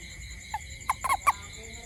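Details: Night-time toad near a house giving a quick run of four abrupt, clucking croaks within a second, rising slightly in pitch, while insects keep up a constant high-pitched drone behind.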